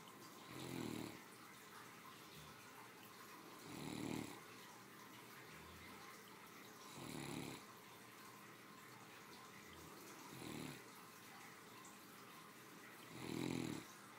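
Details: Sleeping Great Dane, a three-year-old female, snoring after a hearty midday lunch at home; five deep, buzzy snores recur roughly every three seconds, steady and rhythmic, over soft indoor background hiss.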